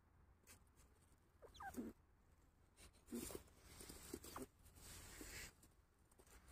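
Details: In an eco-park, a red squirrel gives short, harsh chucks and squeaky rasps, voicing displeasure at another squirrel.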